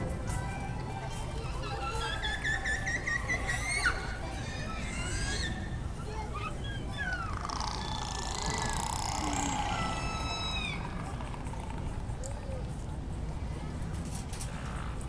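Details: Captive killer whales at SeaWorld San Diego in July 2016, played back during a show; whistles and pulsed squeals sweep up and down, some in quick repeated bursts, over steady crowd noise and a show soundtrack.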